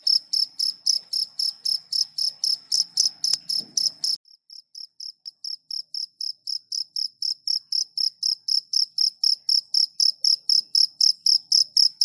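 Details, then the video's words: A cricket's high, pulsed chirps repeat about four times a second; a faint knock near 3 seconds, then a softer stretch that builds back to full strength. "ORIGINAL #SOUND_CRICKET"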